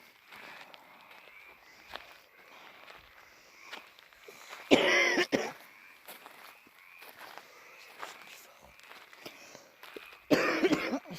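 Footsteps crunch outdoors, broken by two loud coughing or rustling bursts, with no animal voice.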